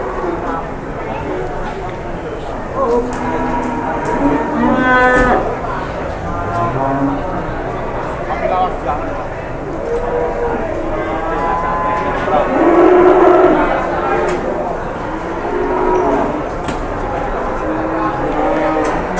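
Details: Several cattle lowing at the busy Pasar Jelok cattle market, Boyolali, Indonesia; moderate, overlapping moos rise and fall over constant crowd and market murmur, one louder bellow standing out near the middle.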